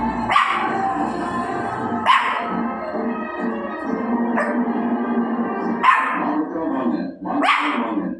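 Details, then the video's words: Outdoor dog gives five short, loud barks roughly every one to two seconds, with music playing underneath throughout. "barking in outside sound"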